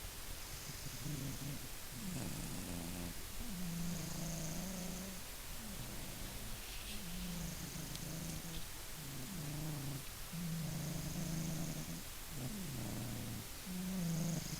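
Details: Low rhythmic snores from the sleeping Maine Coon Funya, alternating rough inhaled rasps and buzzing exhaled drones roughly every two to three seconds, with a thin high whistle riding on several breaths.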